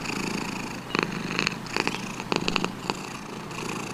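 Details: Pet cat purring indoors, a soft steady rumble broken by several short, louder pulses in the middle seconds, then fading back to a low hum.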